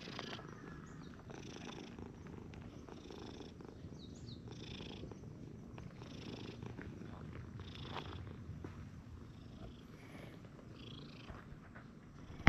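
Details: Stray cats in a park, an affectionate brown-and-white cat and a fat brown tabby approaching during play, with a steady low rumbling purr running throughout and light rustling and handling noises on top.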